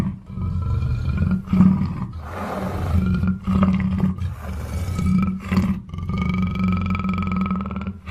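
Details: Black panther giving deep, rasping roars in bursts roughly every two seconds, with a low steady rumble underneath and harsh breathy pulses between the calls.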